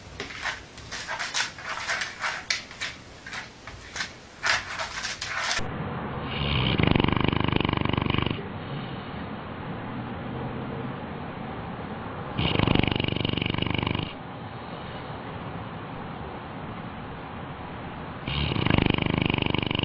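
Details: Sleeping dog snoring while sleepwalking, with long rasping breaths that each last about two seconds and come roughly every six seconds, after an opening stretch of rapid clicking and rustling.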